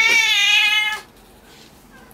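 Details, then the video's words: Domestic cat Kkotjjang, third in line for a claw trim at home and said to be resisting today, lets out one bright harmonic meow lasting about a second, followed by near silence in a small room. "고양이 발톱깎이기"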